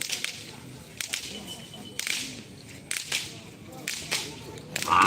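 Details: Sharp whip cracks and bursts of cheering recur about once a second at a Karapan Sapi bull race in Pamekasan, Madura, with no animal call heard.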